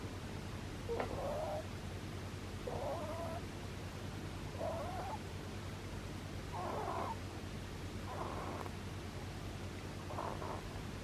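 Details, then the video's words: Pet rabbit asleep and snoring: six soft, breathy bursts of rasping noise, each under a second long, recurring about every two seconds over a steady low background hum. "Kaninchen schläft und schnarcht | Snoring Rabbit, Bunny"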